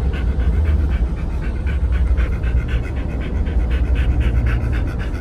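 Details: Two Pit Bulls, Oliang and Nomyen, check in at Dog Space Hotel over Chinese New Year 2020; fast, even panting fills the whole stretch, backed by a steady low hum.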